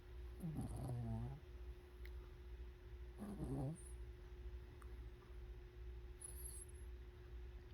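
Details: A sleeping cat snoring: two rough, raspy breaths with a low buzzing edge, about three seconds apart, then quieter breathing over a steady background hum.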